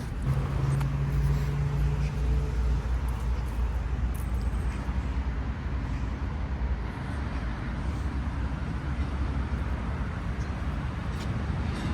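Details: Loud outdoor traffic rumble with low engine hum dominates the scene, along with faint scattered background noises, and no animal call stands out.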